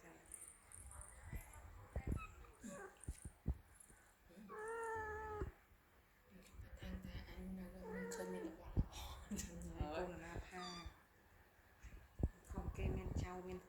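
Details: Kittens play indoors while one gives a drawn-out, wavering meow, followed later by shorter mews. People talk and laugh nearby in Khmer.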